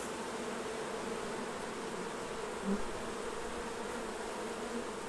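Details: Honey bees at their hives while honey is taken off during the harvest: a steady, dense droning hum with low and mid tones, unchanging throughout, with one brief soft bump near the middle.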